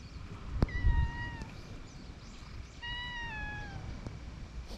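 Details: Stray cats on a cat island gathering around as one is petted, recorded on a GoPro HERO8 Black; two clear, slightly falling meows about two seconds apart over low wind rumble and a brief knock.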